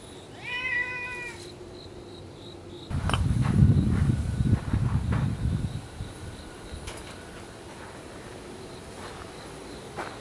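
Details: Welcoming meow from a stray ginger tabby cat in a residential area, one short harmonic call near the start, followed by loud low rustling and handling noise, then quiet background hum.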